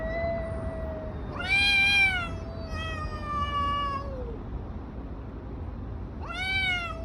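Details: Cats fighting on the street: a steady moaning yowl interrupted by sudden loud, bright screeching wails that swoop down, repeating near the end, amid low background rumble.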